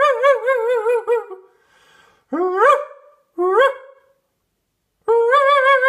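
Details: Dog barking loudly: a wavering, tonal yowl lasting over a second, then two short rising barks about a second apart and another sustained wavering cry after a pause, recorded indoors in a small room.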